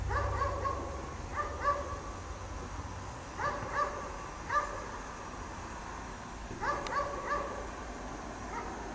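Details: Chained outside in falling snow all day, a dog barks in repeated bursts of two or three hoarse barks every second or so, with short pauses between groups and a low rumble at the start.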